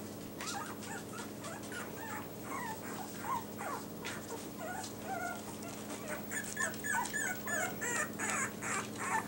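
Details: Quieter whimpering from Yorkie puppies in new numbered collars: thin, bending squeals rising and dipping, repeated roughly three times a second, growing busier toward the end over soft background rustle.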